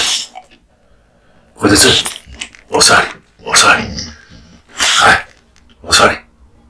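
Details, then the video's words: Kotetsu, a male American Bully born in 2016, chomps through a large raw meat and bone lunch. Loud, broadband crunching bursts come roughly once a second, with short quiet gaps between bites. "Dog eats raw meat bones"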